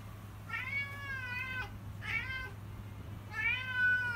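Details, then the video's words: Pet cat named Woobie crying for food at feeding time: three drawn-out, harmonic meows, each about a second long, rising then gently falling, spaced over four seconds against a steady low indoor hum. "Woobie crying for food"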